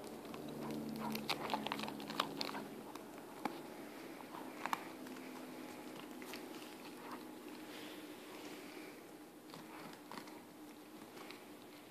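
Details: Irregular crunching and gnawing on a bone, with a faint low hum early on and no calls.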